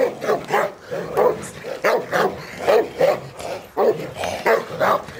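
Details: Cane Corso dog at Majosháza, Hungary, during bite training, seeing and grabbing a bite sleeve for the first time; short mid-pitched barks and growly bursts repeat roughly every half second, with a noisy background.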